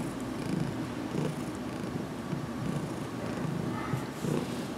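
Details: Domestic cat purring while being massaged on the head, still getting used to handling; low, rough continuous rumble with soft pulsing swells, some faint rustling of hands in the background.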